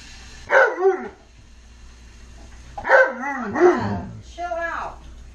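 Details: Alaskan Malamute named Tonka begging for french toast at home: three bursts of yodelling, woo-like vocalizing, each rising then sliding down, separated by pauses of about two seconds.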